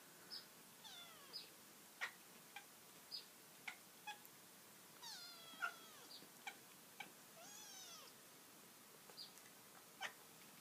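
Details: A female domestic cat, a mother cat, gives a quiet series of short, high, squeaky chirps and bent little trills, about one or two each second, with faint clicks between, as she watches a bird outside a bedroom window.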